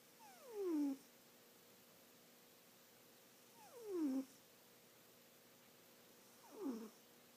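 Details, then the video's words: Cat asleep and snoring, which it does all the time: three soft descending wheezy breaths, about three seconds apart, with near silence between them indoors. "Jazzpurr snores"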